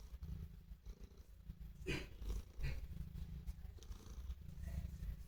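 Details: Domestic cat purring while showing affection to its owner: a steady low rumbling purr throughout, with a couple of brief louder bursts near the middle.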